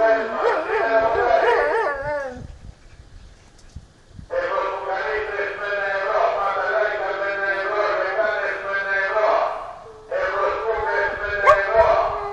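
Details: A Siberian husky, annoyed by loudspeakers, howls in long wavering tones. A quavering howl opens, then a short gap, then a sustained howl of about six seconds, then after a brief break another drawn-out howl that rises at the end.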